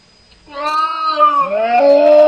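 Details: Two cats talking to each other: a long drawn-out meow, harmonic and fairly steady, that drops in pitch about halfway and then carries on in a lower, rising second part.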